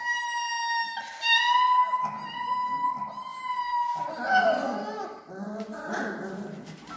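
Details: Three-week-old Alaskan Malamute puppies give a long, steady, high whine, followed by softer overlapping squeaks and whimpers.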